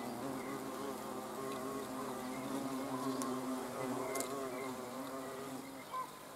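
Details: Several hornets, observed on 30 June 2020, produce a steady low buzzing drone with shifting pitch, interrupted by a few sharp clicks and a brief higher tone near the end.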